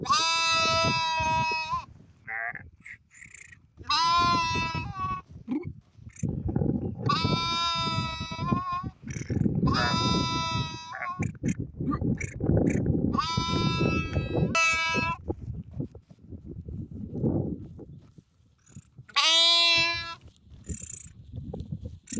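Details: Sheep bleating repeatedly: about seven loud, wavering, nasal bleats of one to two seconds each, separated by short pauses, over a steady low rumbling background.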